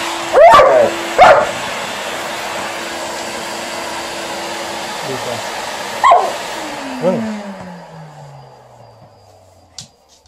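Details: Liza the Alaskan Malamute answers a hoover with two quick barks, later a single bark and a low descending grumble as the vacuum motor winds down and stops near the end.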